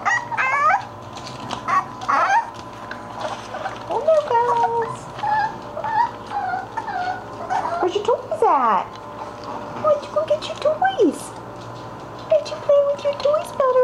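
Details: Playing English Bulldog puppies with toys keep up a steady stream of squeaky yips and wavering whimpers, some sliding downward, while a woman talks to them in the background.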